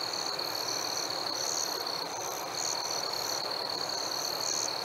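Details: Crickets chirping on a warm summer evening: a steady, high continuous trill under fainter high chirps repeated roughly every second, over a constant soft hiss.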